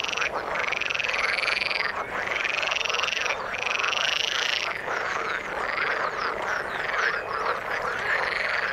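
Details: Chorus of frogs in water, strong pulsed trilling croaks rising and dipping in bouts about a second long, one after another, over a steady bed of many overlapping callers.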